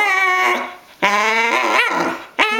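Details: Wheaten terrier put on a diet and unhappy about it, hungry and pawing at her owner indoors: long high, strongly harmonic whines and whimpers, three drawn-out cries with wavering pitch, a woman's voice nearby.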